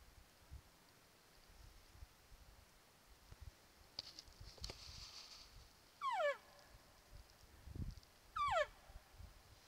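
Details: A bull elk at night during the peak of the rut, near a mountainside wallow, gives two brief, high whistled bugle notes that slide steeply downward, a few seconds apart.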